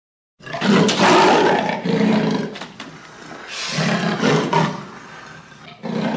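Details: Leopard roaring in the wild: harsh, rasping breathy bursts, a long loud grunt early on, then softer uneven rasps and a final burst after a short pause.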